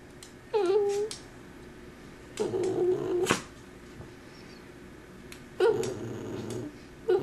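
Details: A Cavalier King Charles Spaniel gives short, tonal whining calls that waver in pitch in a quiet room, around when it knocks the camera phone down.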